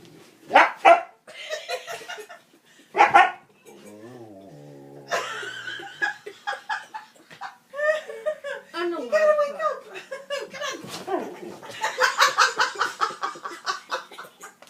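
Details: Husky protecting its owner while being woken for school, giving drawn-out wavering howls and yowling barks in repeated bursts, mixed with a person talking and laughing indoors.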